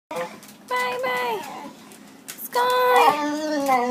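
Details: Sky, a dog that seldom barks, greets someone arriving home in hyperactive excitement, holding a toy or bone in her mouth. She gives two drawn-out, tonal whining moans, the second longer and wavering before trailing down, in a small indoor room.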